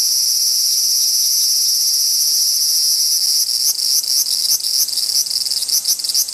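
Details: Large brown cicadas, possibly disputing territory, give a steady, harsh high sizzle that becomes choppier and stuttering in the second half, with short rapid pulses.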